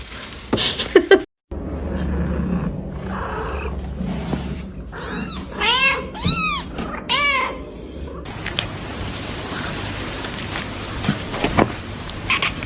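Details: Domestic cat, an aggressive mother protecting her kitten, gives a run of rising-falling harmonic meows around six to seven seconds, with a clatter at the start and a noisy hiss-like wash in the final seconds.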